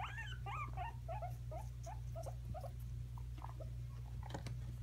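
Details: Guinea pigs squabbling over peppers: a run of brief, bouncy squeaks in the first half, then quieter rustling and clicks, all over a constant low hum.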